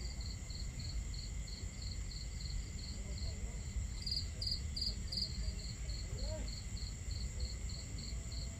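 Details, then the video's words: Crickets chirp at night near a camp, pulsing roughly 170 times a minute in a steady train with a louder cluster around the middle, backed by low, continuous crackling fire and water sounds. "Camping Ambience On A Starry Night | Crackling Fire, Crickets, Water Sounds"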